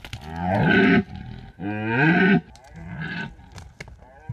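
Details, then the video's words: At peak rutting season in the mountains of Bucovina, a red deer calls at night near a drop rig: two strong, guttural roars about a second long, then a weaker, fading groan and soft rustles. "The scary sounds of red deer"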